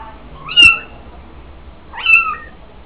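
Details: Kittens on their own during weaning in the 800-year-old mellah of Fes, Morocco, mother watching from a distance; two high, sharply rising then drawn-out falling mews about one and a half seconds apart.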